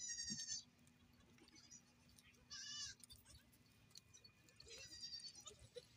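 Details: Goat on a goat farm bleating faintly and shakily three times over six seconds, partly covered by a low steady hum and rustling background noise.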